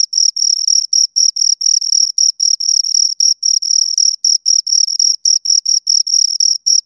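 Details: Pair of crickets giving continuous shrill chirps in quick pulsed bursts, evenly spaced with brief gaps, high and pure in tone, no other sounds present.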